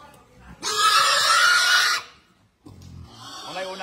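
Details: Berkshire x Pietrain gilt on a hog farm gives one loud, harsh squeal lasting over a second, raspy and broadband with a strong tonal band, then a brief silence before talking resumes.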